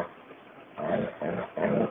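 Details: Alana, a pet dog, answers her owner and talks to the axi's. She gives three short, throaty, grumbling bursts of vocal sound, each under half a second, separated by brief pauses. A quiet background hiss sits underneath.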